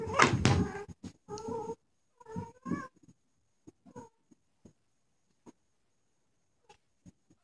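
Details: Ragdoll kittens playing indoors with their mother; a short harmonic meow near the end over a run of thumps and scuffles, then a few scattered soft taps.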